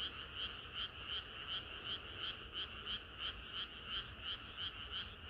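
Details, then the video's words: Summer-night frog chorus: regular pulsed croaks about three per second over a constant background of many calling frogs. "개구리들의 합창은 끝이 없어라"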